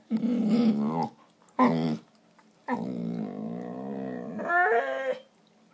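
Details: Pet dogs play fighting and making funny noises: long harmonic growling snarls, one short burst then a sustained growl lasting over two seconds that rises into a higher whining yelp near the end.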